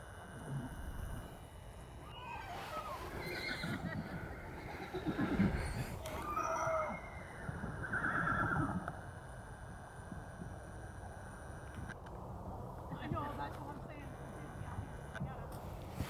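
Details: Wild horses in Tonto Forest, Arizona, a winter gathering of about 100: a couple of shrill wavering whinnies around the middle, over steady rustling and low ambient noise.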